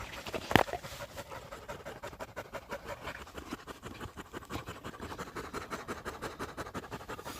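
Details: Husky panting hard while tracking a pregnant deer through mountain woods on a walk in South Korea, a Labrador retriever nearby. Rapid, rhythmic breathy huffs run steadily through the whole stretch, with one sharp knock near the start.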